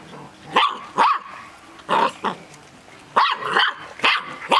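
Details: Six-week-old Golden Retriever puppies from one litter, kept in a cage: sharp, high yapping barks come in quick pairs and bursts, about nine yips in under five seconds, with quiet rustling between them.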